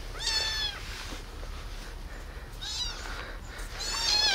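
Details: Rescued baby kitten, abandoned in a box on the street, letting out three thin, high meows partly buried in broadband rustling and handling noise.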